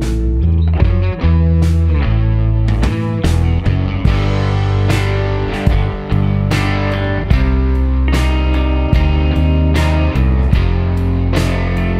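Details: Loud rock music with strummed guitar chords, heavy bass and sharp drum hits throughout, with no animal voice.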